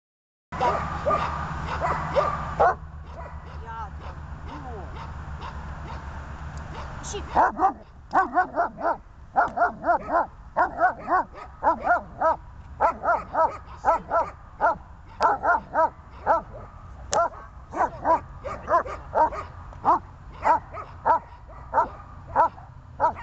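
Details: Dog recorded on 14 January 2020: after several seconds of talking, a long run of sharp, high barks starts and goes on steadily, roughly two or three each second, until the end.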